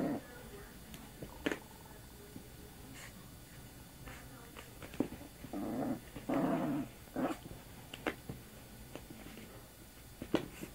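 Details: Young female puppy Sammy playing and mouthing at an arm indoors, giving short rough growls in uneven bursts, loudest near six seconds, among scattered clicks and handling noises.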